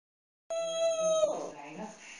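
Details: Pet dog Fluffy cries while playing with his stuffed toy: after a moment of silence comes one steady, high, tonal whine of under a second, which breaks into a rougher, noisier tail.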